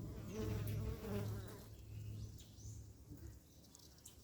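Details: Africanized honey bees at an apiary yard in October 2021; a low droning hum with layered overtones, strongest over the first second and a half before fading, over faint outdoor background noise.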